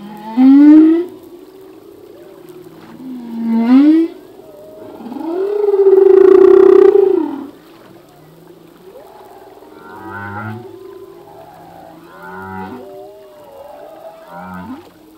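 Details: Singing male humpback whale in a long full-length song: rising upswept whoops, then a loud drawn-out wavering moan, followed by a run of short grunting pulses repeated every couple of seconds, with quiet ocean noise between.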